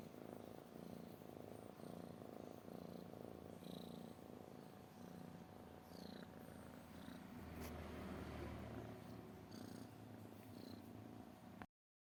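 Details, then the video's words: Domestic cat purring: a steady low rumbling throb that runs continuously for about eleven seconds, with faint higher clicks and rustles above it, then stops abruptly. "kucing mendengkur"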